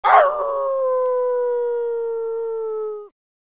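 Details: Dog howling at the moon: one long, steady, tonal howl lasting about three seconds, starting with a rough burst, then holding a smooth pitch that sinks slightly before stopping abruptly.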